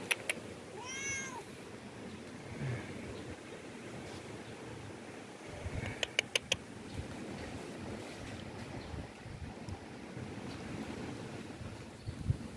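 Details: Hungry stray cat, found outdoors and being fed, gives one clear drawn-out meow with stacked harmonics near the start, followed by a few sharp clicks and a quiet outdoor background.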